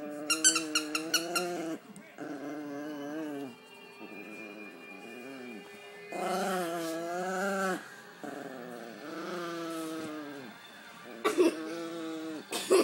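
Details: Sophie the dog growls and pretend fights in a favorite game; rapid rough yapping bursts at the start, then long wavering, rising-and-falling growls in several stretches, ending with short sharp yips.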